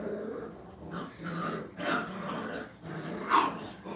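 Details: Five-week-old puppies at a training kennel play together, giving low rough growls and scuffling bursts with short whiny squeaks rising near the end, loudest around the two-second and three-and-a-half-second marks, in a small indoor space.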